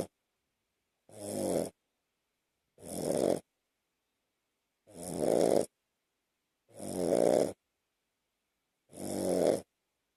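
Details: A two-year-old Shih Tzu, Lhasa Apso and Bichon mix, sleeping on its owner's chest at night, snores in steady, rasping breaths about every two seconds.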